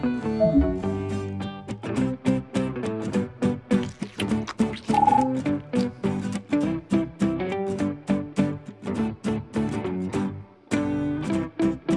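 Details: Plucked guitar music with steady rhythmic strumming and no animal sound.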